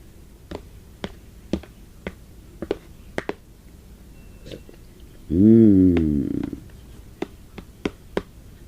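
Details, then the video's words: Gypsy, a pet Pomeranian, begs for her owner's soup indoors: a single loud wavering whine lasting about a second, set among light regular taps and clicks. "Gypsy, Pomeranian, begging for my soup! She sounds like a dolphin about half way through."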